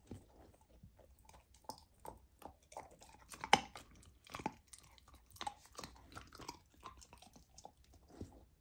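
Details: A golden retriever puppy eating raw lamb for the first time chews noisily, with wet crunches and sharp bites at an irregular pace.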